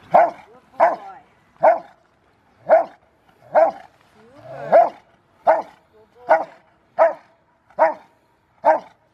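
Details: River v Schwarzerwald, a five-year-old Rottweiler, in bite training before his ZTP trial, January 2020, barks repeatedly in loud, evenly spaced single barks roughly every three quarters of a second, with no other sounds.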